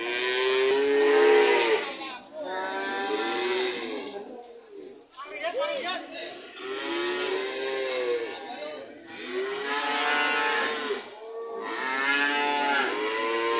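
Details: Cattle lowing in long, drawn-out moos, rising then falling in tone. Calls run almost without break, with short pauses near two, five and eleven seconds, over a steady background hiss.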